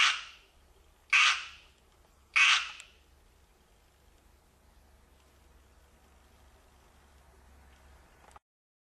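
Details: Tree frogs singing: three loud, harsh, rasping bursts come about 1.2 seconds apart. Near silence follows, with a faint low rumble until an abrupt cut.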